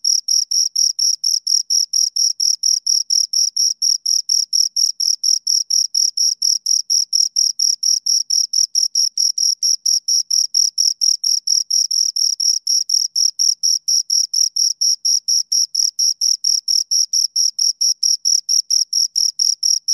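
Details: Two crickets stridulating close by, giving an unbroken run of sharp, shrill chirps at about four per second, each pulse the same loudness, in an otherwise silent setting.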